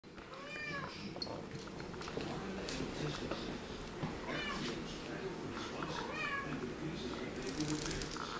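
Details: Two Siamese cats talking to each other: several short, arched, whining meows rise and fall at intervals over a steady murmur of background noise and voice-like sounds.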